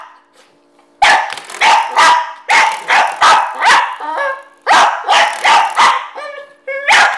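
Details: A dog objecting to the door stopper spring gives loud, harsh barks in two clusters separated by a short gap, then a higher, tonal, whine-like yelp before a final bark.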